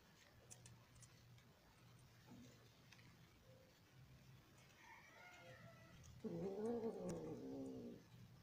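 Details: Persian cat (Felis catus), mating yowl: mating.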